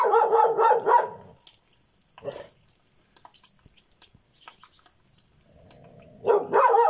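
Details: Bitzer, a Šarplaninac, letting out a rapid run of harsh, loud barks, falling quiet with faint scuffles, then a low growl that breaks into another burst of barking.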